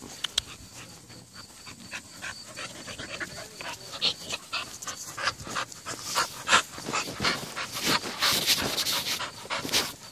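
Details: Nine-month-old female American Bully playing with a rope, panting in quick rasping breaths that grow louder and faster toward the end, with scuffling and a woman's voice nearby.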